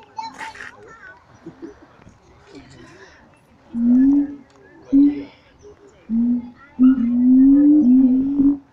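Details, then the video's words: Zoo-kept siamang apes at Taronga Western Plains Zoo in an excited bout: quiet mixed background at first, then loud, steady, slightly rising hooting notes repeated with brief pauses, merging into a longer run at the end. "The Siamang Ape's at Taronga Western Plains zoo going bananas"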